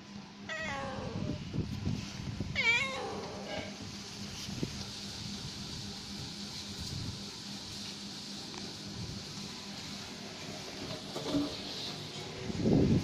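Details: Female domestic cat at rest giving two short rising-falling meows near the start, then quiet with a steady low hum and faint rustling, a soft thump at the end.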